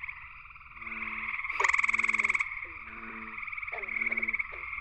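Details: Night chorus of gray treefrogs at Cool Pond, West Virginia, with a male calling from low willow branches at the pond's edge. One loud rapid pulsed trill rises above a steady background of trilling frogs and lower repeated croaking notes.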